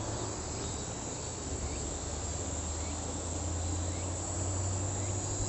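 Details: A Kaempfer cicada's steady high buzz runs throughout, partly masked by a prominent low humming rumble and general background noise.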